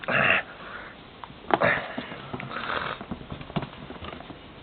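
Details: Melek, a young rescued puppy found nearly dead on the River Buzau near Vadu Pasii, Romania, indoors while playing and biting: a short, harsh, harmonic yelp-growl opens, followed by scuffling snorts and a man's voice.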